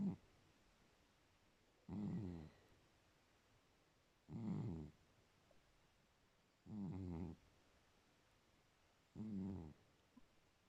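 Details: Sleeping cat snoring: five low rasping snores, each lasting about a second and spaced about two and a half seconds apart, quiet between breaths.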